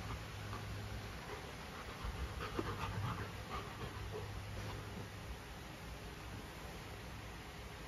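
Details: A female Golden Retriever named Luna is given a carabao horn as a new chew toy. She breathes in quick, quiet, airy pants, a little slower and more uneven, with a faint steady hum beneath.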